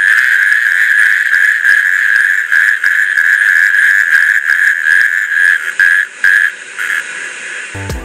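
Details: In Britain, male Natterjack toads call at night in spring with inflated vocal sacs, giving loud, rasping, rattling trills that run on almost without pause to attract females; the calls carry several kilometres.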